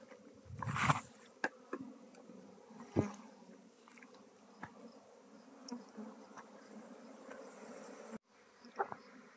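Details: Bees hum through a hive transfer in Nepal, shifted from a log hive to a modern hive. A continuous low buzz is broken by loud thumps and scattered taps from handling the combs.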